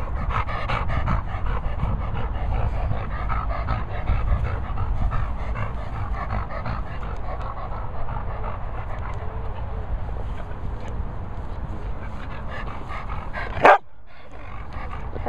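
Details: Dog panting continuously, a rapid breathy rustle that runs on for about fourteen seconds, ending with a sharp knock or click.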